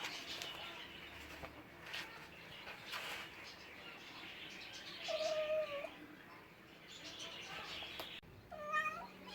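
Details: Cat sounds amid noisy background: a level, drawn-out meow midway and a short meow at the end, with scattered bursts of broadband noise.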